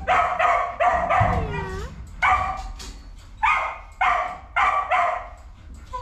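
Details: A pile of puppies crying with repeated harmonic whines and yelps roughly every half second, some notes sliding downward, while a person speaks affectionately to them.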